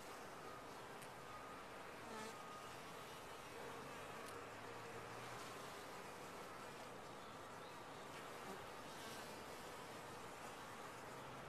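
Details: Many bees in a top-bar hive making a low, constant, busy hum, with a few light taps and scratches scattered through.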